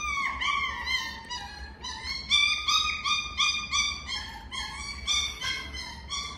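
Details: Miniature Schnauzer producing a rapid series of high, bright whimpering notes, each briefly rising then falling, repeated nearly three times a second with uneven loudness against a faint constant hum.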